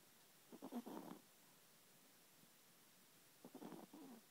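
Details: A Chihuahua snoring in its sleep: two short bursts of rattling, buzzy breath noise about three seconds apart, in a quiet room.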